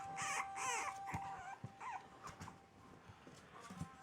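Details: Several brief, wavering whines from four-week-old French Bulldog puppies on their first few hours away from their mother, fading into soft taps, with a steady faint hum throughout.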